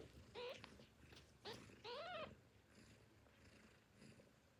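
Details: Tiny newborn kittens, hungry and calling for their mother at feeding time, give three clear high mews, the last longest with a wavering rise and fall, followed by quieter faint rustling and soft background noise.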